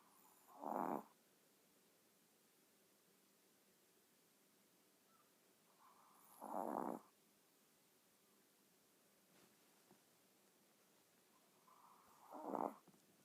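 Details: Chihuahua snoring in its sleep: three separate rasping snores, about one every six seconds, each short and harsh, with quiet breathing pauses in between.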